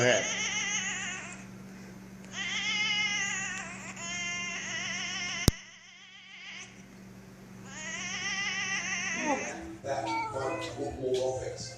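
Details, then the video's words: Domestic cat making weird noises: long, drawn-out wailing meows that arch up and fall back. One comes early, a longer one follows after a silent gap, and a rattle ends the clip over a steady low hum. "crazy weird cat noises"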